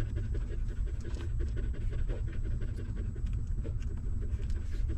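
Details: Stray mother dog feeding her newborn puppies; rapid moist suckling clicks and smacks fill the recording over a deep steady rumble.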